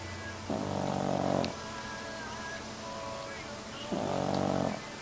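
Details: A sleeping dog snoring: two drawn-out, harmonic, rumbling breaths, each about a second long, roughly three and a half seconds apart, with a quiet hiss between them.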